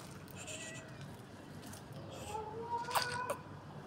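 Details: Tabby kitten arriving to eat fresh cat food beside its mother tabby cat on the street; a short, rising, tonal meow with clear overtones near the third second, over low background rumble and light scratchy noises.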